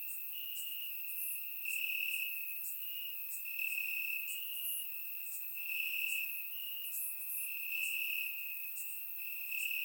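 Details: Crickets chirping in grass on a warm summer night in Bulgaria, recorded with a surround microphone: a steady high trill band with pulsing bursts, overlaid by fainter higher chirps from other crickets, constant chorus without pause.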